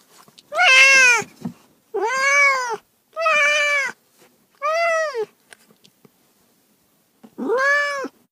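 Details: Meowing house cat giving four bright, arched meows in quick succession, roughly one per second, then a pause before a fifth similar meow; the calls are loud, clean and rich in overtones.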